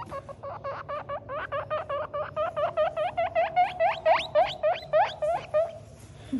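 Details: Baby guinea pig crying: a long series of squeaky rising whistles, about four each second, growing louder and higher toward the end, over a faint low hum.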